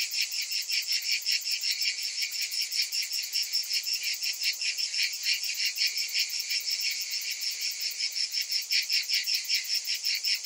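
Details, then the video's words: Shrill summer cicadas throb rapidly, close to three pulses a second, layered over a dense, unbroken high buzz that barely varies in loudness. "Cicadas in Summer"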